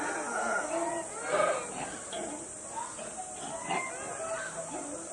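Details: Zoo monkeys chatter and squeal together in a busy, overlapping chorus at lunch time as the zookeeper approaches.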